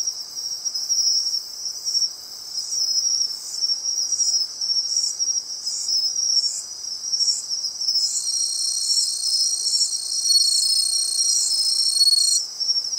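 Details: Bell cricket at the seashore, located by its sound: high bell-like ringing pulses repeated roughly every half second, with a second overlapping ringing voice joining partway through, steady and loud over a quiet background.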